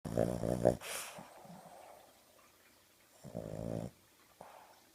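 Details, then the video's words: Sleeping dog flaked out on a sofa in the morning, eyes open and wiggling as it sleeps: two voiced, harmonic snore-like grumbles about three seconds apart, with a soft click and quiet breathing between them. "Snoring dog"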